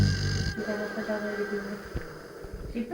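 A sleeping Rottweiler snores with a low, buzzy, piglike rumble.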